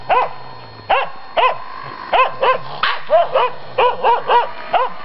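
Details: Finnish Spitz barking at a raccoon dog: bright, rising-and-falling barks, some paired and drawn out, irregularly spaced, over a low background hum.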